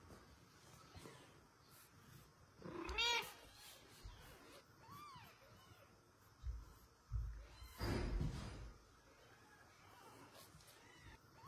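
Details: A mother cat asks a man for her kitten with scattered meows: one sharp rising-falling call, a soft short mew, then a loud harsh cry, separated by quiet stretches with handling noises and faint voices.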